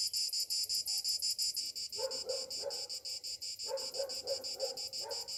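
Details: Cicadas singing on a summer morning: a steady high buzzing pulsed about three times a second, with lower, harsher bursts joining in from the second second onward.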